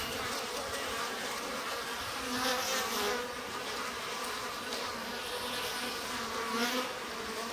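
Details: Japanese honey bees humming inside a stacked-box hive as its sliding bottom board is opened in spring, with the colony growing active; a dense, steady, low droning buzz with faint swells, continuous throughout.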